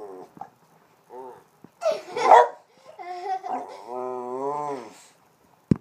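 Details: Boston Terrier named Lucky moaning and whining while being hugged. Short grunts and a burst of laughter lead into a sustained, wavering, cow-like drawn-out whine near the end.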